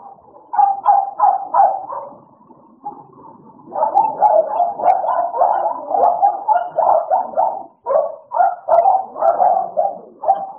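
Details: Playtime for two American Bullies named Idol and Alice: a few separate barks, then a quieter growl, then a rising burst of rapid, overlapping growly barks lasting several seconds.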